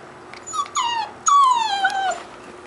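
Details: Two drawn-out, high, tonal whines from a beagle puppy, each falling steadily in pitch, the second longer and louder, with a short quiet gap between them.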